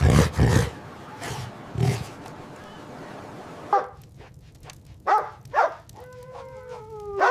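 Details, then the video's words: Puppies playing and play-fighting on fresh green grass: a low rumbling stretch, then a few sharp separate barks and a closing high, wavering whine. "Dog barking sounds"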